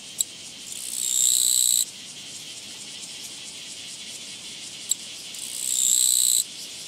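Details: Japanese katydid met along a walking path on 24 August 2017, giving two loud, harsh buzzing bursts of about a second each, several seconds apart, over a faint, steady background of rapid insect pulsing.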